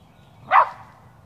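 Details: Shetland Sheepdog outdoors, wearing a Superman costume while chasing squirrels, gives one short, sharp, loud bark about half a second in, then falls quiet with only faint low background rumble.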